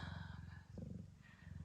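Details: Ragdoll mother Gambit, blue bicolour, purring during labour at an Australian breeder's; a continuous low vibrating rumble with fast regular pulses, briefly swelling midway, with faint higher tones in the background.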